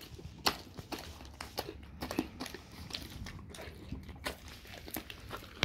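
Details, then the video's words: A dog chews raw cow tongue, making sharp, uneven clicks and wet smacks every half second or so, with softer gnawing between the louder bites. "dog eat raw Cow tongue"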